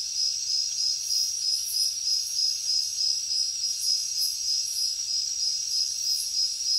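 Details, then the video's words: High, ringing cricket trill with steady pulsing near three beats a second, joined by louder rasping bursts from other insects at intervals over a calm background. "Crickets Nature Sound"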